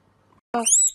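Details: Baby domestic guinea pig (cavy) popcorning: one brief squeal that starts as a low buzzy burst, then snaps into a thin, high whistle that rises and falls away in under half a second.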